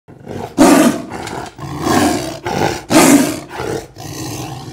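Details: Sumatran tiger recorded from only two meters away with simple equipment: deep, breathy roars in quick succession, three loud bursts separated by shorter, softer ones, each lasting under a second.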